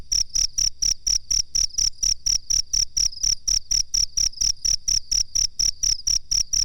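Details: High-pitched cricket chirps meant as master material for training birds: a bright tone pulsing steadily, about four beats a second, roughly twenty-six pulses, with low hum faintly present.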